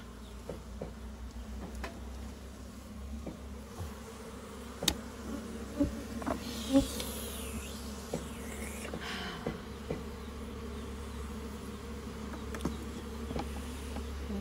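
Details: Continuous drone of local honey bees in a goat shed on a farm during honey collection, low and steady, broken by sharp taps and rustles repeated about once a second, with a soft hiss midway.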